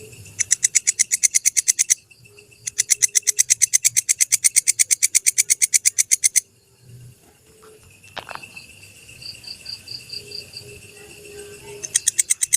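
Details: Grasshopper known locally as belalang kecek, recorded for teaching songbirds, with deliberate pauses: two bursts of brisk, dry ticking chirps around three per second, split by a short gap, then a quieter stretch with a faint thin whistle before the ticking resumes.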